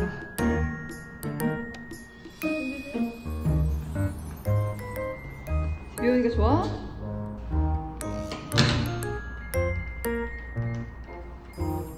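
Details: Light plinking background music under indoor talking, with thuds and a door-like knock in a small room.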